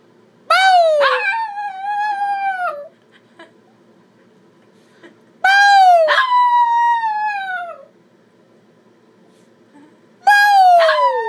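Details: A Chihuahua puppy sitting in a chair howls or "sings" in response to a noise its owner makes: drawn-out, high howls that start sharp and slide downward.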